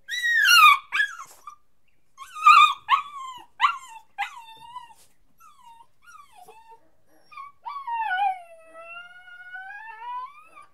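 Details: A crying puppy gives high, falling yelps in the first five seconds, then soft short whimpers, ending in a long drawn-out whine that dips and slowly rises again; no other sounds.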